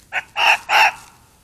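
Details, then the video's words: Screaming fox caught by a trail camera in woodland at night: a brief rasping yelp followed by two longer hoarse, grating screams close together, then fading quiet with faint background hiss. "Screaming Fox at Night in the Woods"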